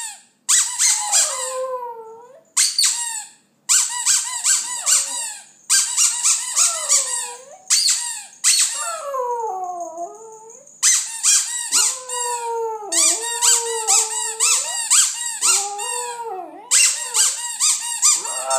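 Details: Westie singing a song, stringing together clusters of sharp squeaky yips and drawn-out howls that dip and rise, with one long sagging wail near the middle and hardly any gaps.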